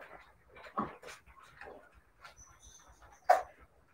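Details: Siberian Husky puppies making a few soft whimpers and one sharp high yip near the end, separated by quiet gaps with a faint thin tone in the background.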